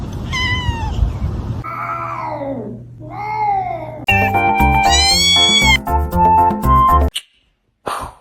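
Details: Kitten meowing: a string of drawn-out meows, each rising then sliding down in a smooth arch, filling the first four seconds before loud music with a clear melody takes over.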